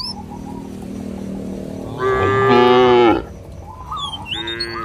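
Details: Cattle roaming a village field, calling companions to return to the barn: one loud, harmonic-rich moo lasting about a second, held level then dropping at the end, with soft bird chirps before and after.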